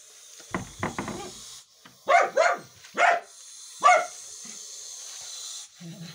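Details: A Dachshund, one of three confronting a Russell's viper, barks in a few sharp, separate bursts over a steady background hiss.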